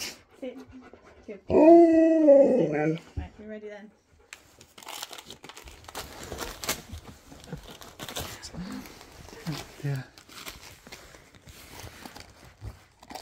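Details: Siberian Husky howling at Christmas as if calling on its best friend: one loud drawn-out howl with layered harmonics lasting about a second and a half, followed by a few short whines, then indoor voices and rustling.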